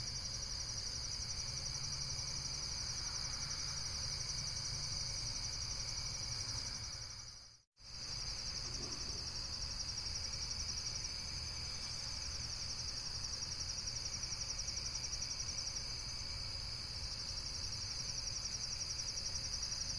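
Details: A high, pulsing insect trill that drones on steadily, cut by a brief silent gap partway through, then resumes with a low rumble beneath.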